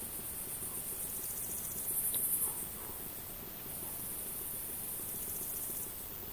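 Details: A male Frivaldszky's bush cricket (Pholidoptera frivaldskyi) sings a high, thin, buzzy chirping over soft background hiss, recorded 5 July 2023 at Oleksandrivka, Kirovohrad Oblast, Ukraine.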